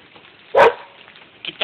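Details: A single loud, sharp bark from Beaux, a dog chasing squirrels all day, followed after about a second by two quieter short yips, with a person's encouraging voice in the background.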